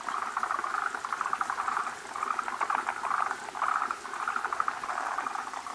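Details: Forest green tree frogs gathered at a spawning site, many males around a big female holding eggs; short trains of rapid rattling clucks repeat roughly every second, with several callers overlapping.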